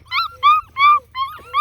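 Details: Beagle puppies in their play area, just fed breakfast, give a run of high, harmonic yips and whines, each a short rising note, alerting as someone sneaks up.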